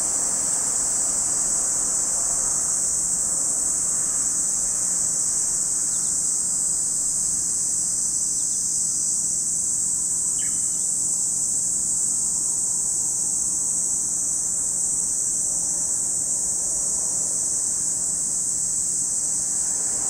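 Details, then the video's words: At Lake Kamo in Sado City, Niigata Prefecture, Japan, cicadas sustain a long, uniform high-pitched buzzing drone, with a few brief faint bird chirps around the middle and a soft low background rumble. "Lake Kamo in Sado City, Niigata Prefecture, Japan, where you can hear the voice of cicadas."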